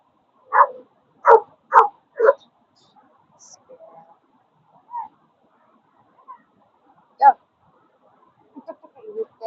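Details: Dog barking at a dog park: four quick barks in the first two seconds, then quieter yips and whimpers, one more bark near seven seconds, with faint speech at the end.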